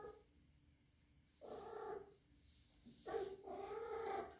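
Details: Indoors, a rescued three-month-old kitten possibly in heat lets out two drawn-out, wavering yowls, the second longer and rising, with a faint steady hum behind.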